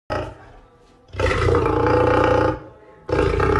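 A lion gives a harsh, rasping angry roar in two loud, drawn-out bursts.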